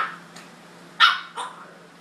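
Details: Two Jack Russell Terrier pups pestering a tolerant older male; a faint early yip, then two short, sharp barks in quick succession, the first loudest, over a faint low hum.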